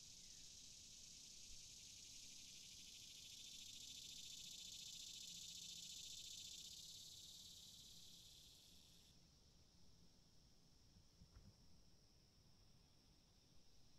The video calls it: Cicadas - Sound Effect for editing